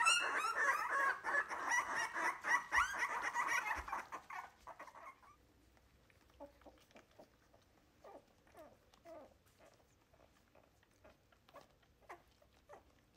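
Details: Three-week-old Wire-haired Miniature Dachshund puppies during their first feeding away from their mother: loud crowded whining for about four seconds, then fading to soft, scattered whimpers and squeaks with faint room noise.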